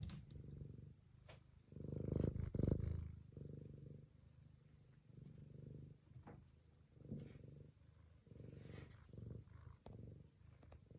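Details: A domestic cat purrs in a low, steady rumble that swells and fades with each breath, recorded on 21 April 2026.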